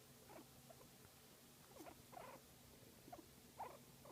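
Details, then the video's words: During a massage a guinea pig gives a few soft, short murmuring notes, spaced irregularly, with faint background hum. "Guinea Pig Enjoying a Massage and Making Cute Sound"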